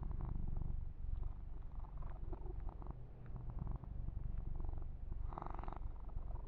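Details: Massaged kitten Yumak keeps up a constant throaty purr indoors; fur-grooming rustles tick over it, with a louder brushing sweep toward the end.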